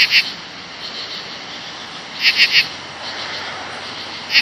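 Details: A very loud chorus of 17-year cicadas by the bushes on an August 2013 late evening during the emergence. A continuous shrill drone is broken by a quick triple burst of louder buzzing pulses near the middle and one more at the end.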